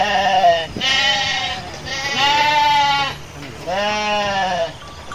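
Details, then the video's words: Garut sheep in a flock of dozens running across rice fields while rams rage; three long, wavering, nasal bleats about a second each, separated by short pauses, with faint background noise. "DOMBA GARUT NGAMUK"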